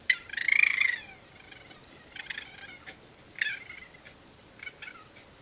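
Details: At night several raccoons, wild and very vocal, captured by a security camera: one loud rising, wavering screechy trill opens, followed by shorter buzzy chittering bursts at irregular intervals against a faint background hiss.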